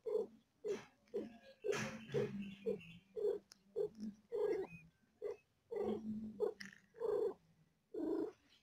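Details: Birthing cat delivering four kittens, in pain: uneven purring pulses with louder strained breaths and brief whimper-like bursts between them.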